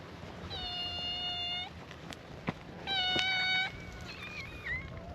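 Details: Stray cats at a gathering on a cat island greet a visitor with a chorus of cute meows: two long, steady, clear meows, then a shorter wavering one, with some light clicking in the background.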